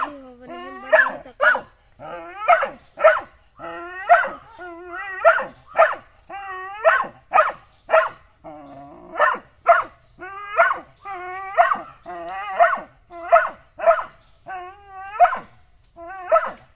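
A Pit bull puppy gives high, yappy barks in quick pairs, repeated steadily.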